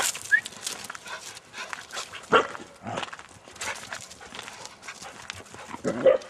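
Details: Border Collies outdoors, filmed about ten years ago on Cannock Chase or the Great Orme, Llandudno; short sharp barks burst out near the start, middle and end over rustling, scuffling outdoor noise.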